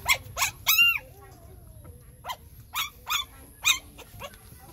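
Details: Hungry puppies crying while nursing from their mother, a run of high, sharp whimpering yelps, some arched and drawn out, repeated about every half second with short gaps.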